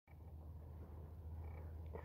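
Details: Domestic cat kept at home, purring in a steady low continuous rumble that holds even through the whole stretch, with faint thin high tones appearing briefly near the start and end.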